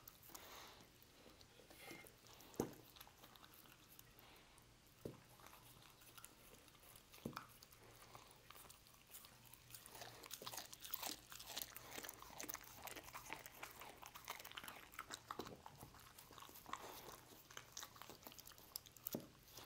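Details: A dog named Lucy eating roast beef indoors in a small room: soft, wet chewing and crunching, quiet at first and growing busier midway, with a few sharp clicks and knocks.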